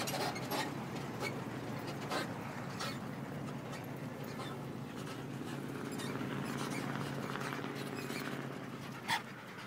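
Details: An abandoned dog, dumped in the middle of nowhere near a few houses, pants with breathy, noisy bursts, a few louder breaths near the start and end, over a steady low hum.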